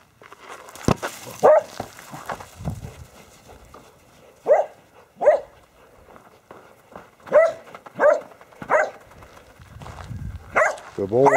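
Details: Border Collies (Ramsey, Baby, Ice, Rip and Rush) at play chasing a basketball; irregular short barks in bursts, some in quick pairs, with brief human speech and scuffling noise.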